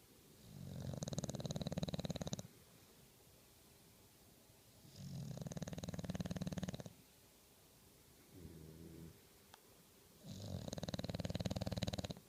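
An English Bulldog snores loudly in long, rattling, low breaths with quiet pauses between them.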